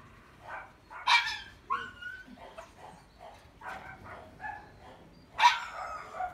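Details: Male puppy with a wheat and white coat, wearing a ribbon, giving a run of short high whines and yelps, two sharper louder yips standing out near the start and end, in a quiet setting.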